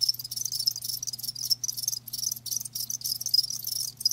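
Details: Rapid high chirping from live crickets, closely spaced pulses forming an almost unbroken shimmering trill with a couple of brief dropouts; low electrical-sounding hum in the background.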